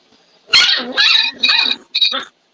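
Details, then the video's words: Several dogs barking hard at close range, loud enough that the microphone is being covered; four harsh, noisy bursts within about two seconds, then silence. "I'm trying to cover the mic because the dogs are going at it pretty hard."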